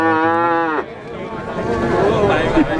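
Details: Six-month-old Pegon cattle calves at Plaosan cattle market in Magetan, Indonesia: a loud, steady harmonic moo lasting under a second, then ends abruptly, followed by market chatter and bustle.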